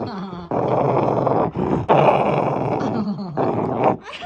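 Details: A pet Shiba Inu growling with a sound likened to an engine: long rough rumbling growls about a second each, broken by short pauses, loud and close.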